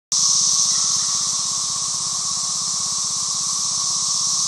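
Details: Periodical cicadas, the 17-year brood, chorusing loudly on a rural property: a dense, steady, hissing drone centred high, with a faint band lower down and a rapid pulsing buzz underneath, sustained without pause.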